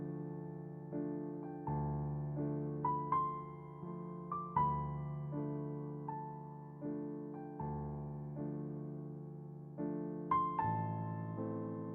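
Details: Gentle piano music plays throughout, with no animal sounds.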